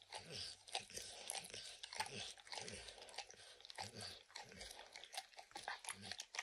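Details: Max, a dog, licks peanut butter and kibble stuck in an orange mat, with no talking: dense wet smacking clicks and crunchy bites come in quick irregular bursts, some with a low thud underneath.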